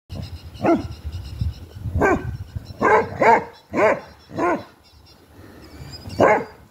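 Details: Basset Hounds in an argument: deep, drawn-out baying barks with a howling, bending tone, several in a row spaced about half a second to a second apart, with quiet gaps and a faint background hum.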